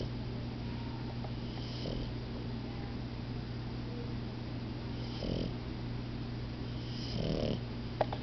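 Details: Two puppies, Momo and Lela, napping together indoors; soft, breathy snores swell in three slow bursts several seconds apart over a steady low electrical hum.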